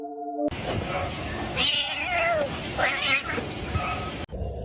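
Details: Kitten meowing: a few wavering, drawn-out meows, one sliding downward, rising over a steady hiss of background noise, with a brief tonal hum at the start.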